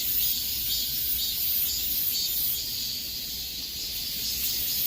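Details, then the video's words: A thick wall of cicada song in the height of summer heat: sizzling, high-pitched and unbroken, with gentle rhythmic surges roughly twice per second. "삼복더위에 들을 수 있는 매미 소리"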